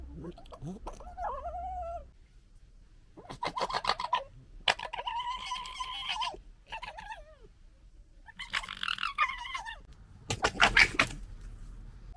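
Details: Red foxes from a local fox family, fighting and arguing: a rising whining wail, then bursts of harsh rapid chattering gekkering and strained squealing cries, repeated in several loud spells with quiet gaps between.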